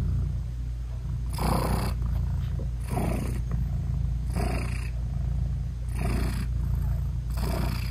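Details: British Shorthair mother cat purring while nursing her newborn kittens, whose eyes are still closed; a steady low purr runs throughout, broken by five louder breathy bursts about every one and a half seconds, no music added.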